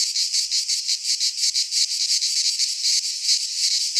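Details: Cicadas singing in midsummer in a Greek pine forest: a dense, loud high-pitched buzzing chorus, pulsing about three times a second in steady rhythmic swells with no other sounds.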